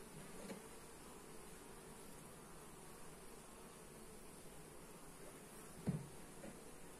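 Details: A honey bee colony humming during a hive inspection, recorded with a Xiaomi Redmi Note 8; a low, even buzzing drone carries on throughout, with one brief loud bump near the end.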